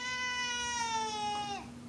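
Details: A pet cat gives one long, drawn-out meow, steady and slowly falling in pitch near the end, while its owner talks with it indoors.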